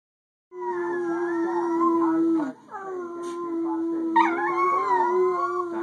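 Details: Chihuahua howling along with its owner indoors: long, steady, mid-pitched sustained howls with a brief dip near the middle, then a higher wavering howl layered over the lower tone.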